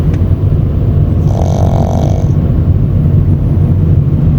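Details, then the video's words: Shih Tzu puppy snoring, fast asleep and tired after grooming, riding home in a car; one nasal, buzzy snore of about a second over steady, loud low engine and road rumble. "시츄 강아지 코골이"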